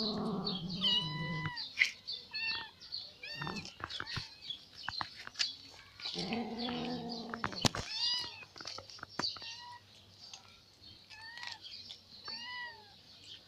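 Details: Ginger cat near the fish pond after hunting another catfish: repeated short arched meows, some thin and high, some lower and fuller, with bursts of rustling and a hum, all over a continuous high hiss.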